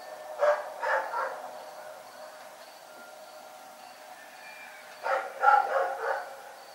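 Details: Rex the dog barks at night in two loud bursts, three or four rough, quick barks each, separated by a pause of about four seconds, with a steady high-pitched insect tone running underneath.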